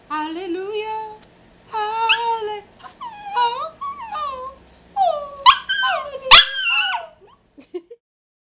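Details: Rat Terrier dog singing along, producing sustained, wavering howls that slide up and down in pitch, several long drawn-out notes with rising and falling glides, ending in a sharp yelp and brief quiet.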